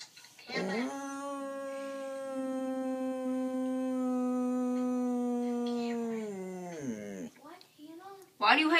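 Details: Dog howling in reaction to a meowing noise: one long, steady, mournful howl holding a level pitch for about six seconds before breaking off, with a person's voice before and after.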